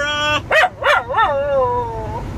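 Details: Pet Wire Fox Terrier missing her family howls on her owner's prompting: two bending yelps, then a sustained wavering howl gliding slowly downward before a small upturn at the end.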